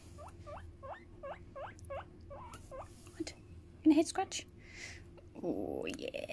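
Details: Pet hamster squeaking while talked to and scratched on the head: a steady series of short upward-hooked chirps, roughly three each second, then brief rustling and louder scuffling noises near the end.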